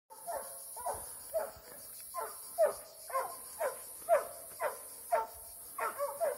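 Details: Eight-month-old Plott hound during a standoff, release and fight. Quick hoarse barks repeat about once a second, each with a slight falling bend, steady through the clip over a constant high hiss and faint outdoor background.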